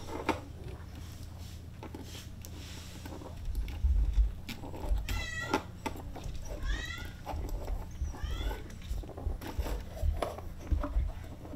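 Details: Dona, a 36-day-old brown female Maine Coon kitten at a Tokyo cattery, gives three thin, high meows that rise and fall, spaced about one and a half seconds apart, over low rumbling and soft handling thumps.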